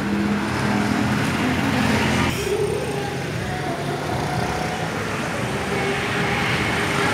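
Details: Loud road traffic roars continuously, with passing cars and faint voices in an urban street.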